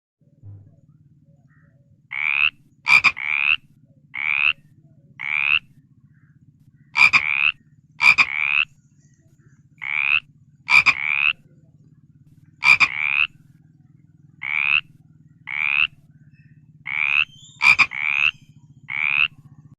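A frog calls with brief, rasping croaks repeated steadily, roughly two or three notes per second with short pauses between runs. Sharp clicks and a low steady hum sit in the background.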